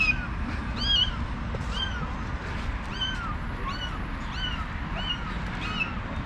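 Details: Mother cat calling to coax her escaped kitten back home: short, arched, rising-then-falling mews repeated about every half second to second, over a steady low rumble of background noise.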